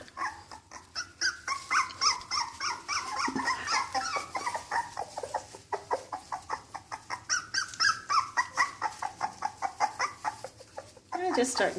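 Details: First time outdoors, Cocker Spaniel puppies keep up a long, irregular stream of thin whimpers and squeaks, overlapping cries from several pups, ending in a louder yelp.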